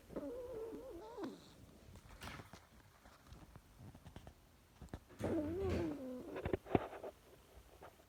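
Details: Zelley, a little Chihuahua, snoring while asleep: two spells of wavering, whistly nasal tones with a squeaky rise and fall, separated by quiet breathing and soft clicks in a small room.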